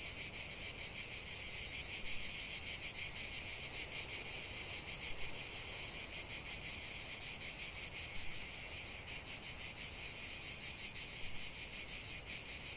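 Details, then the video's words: Unbroken high-pitched cicada chorus in a natural setting, a grainy, pulsing buzz that barely varies in loudness, forming a constant wall of insect sound over a quiet background. "45 min de chant des cigales"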